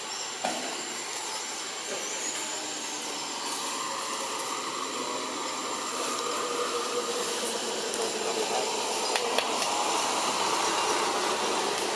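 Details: A continuous, hissing rumble fills the whole stretch, resembling rail traffic or a motor running. No distinct animal call stands out above the noise.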